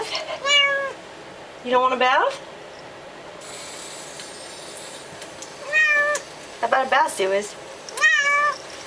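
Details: Domestic cat protesting being bathed, a series of short to medium meows, some rising and wavering, in several bursts about every one to two seconds, with a person speaking softly and some water or rustling noise between calls.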